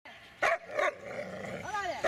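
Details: Dobermann named Magmar von der Burgstätte giving three sharp barks, two close together at the start and one at the end, separated by a quieter stretch with a faint drawn-out whine.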